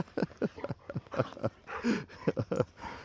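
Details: Labrador Retriever Benji on a daily woodland walk, just after a brief panic when he thought he had lost his companion in the forest; quick, rhythmic breathy bursts roughly every quarter second, with a short rougher breath midway.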